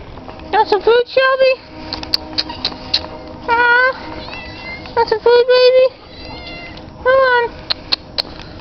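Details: German Shepherd Sheba, excited while playing with a ball, makes a run of drawn-out, high, whining yelps, each about half a second long. Several bursts come in uneven groups, some rising and some wavering, with brief pauses between.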